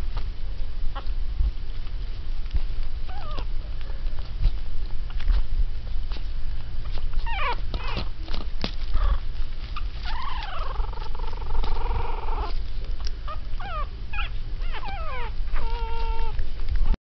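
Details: Three teacup Yorkshire Terrier puppies, three and a half weeks old, indoors at Easter filling an Easter basket, growling at each other and barking a little; thin rising and falling whimpers and squeaky yips over a constant low hum.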